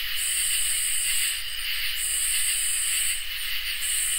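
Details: Summer night chorus of crickets and katydids, a continuous high trilling hiss layered with sharp buzzy bursts that switch on and off roughly every second, and a soft low background hum.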